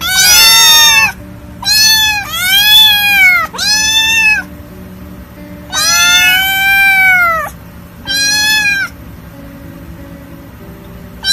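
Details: Kittens give a run of six bright, strongly harmonic meows, some short and some stretched to over a second, with a weak steady tone lingering underneath between calls.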